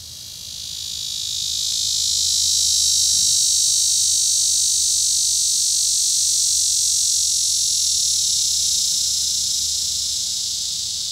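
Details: Male Neotibicen auriferus cicada on a small tree, with a second male behind it, Sand Hills State Park, Kansas, 5 September 2013 at 7:03 p.m., near the end of its active day: a continuous high, hissing buzz swelling in, then slowly fading.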